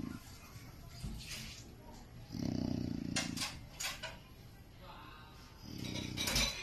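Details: Jacko, a pet Chow Chow dog, asleep and snoring: two rough, raspy low breaths about three seconds apart, each lasting under a second, with faint clinks and small household knocks in between.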